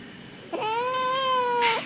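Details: Long, clear kitten meow, steady and slightly arching in pitch with rich overtones, ending in an upturn, then a burst of rustling noise; the kitten is being asked in Malayalam whether it wants food.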